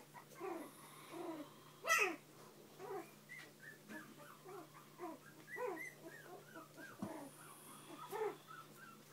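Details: Bichon and shih poo pups with their parents indoors, giving many short high whimpers and squeaks, several per second, with a louder yelp near two seconds and a steady electrical hum beneath.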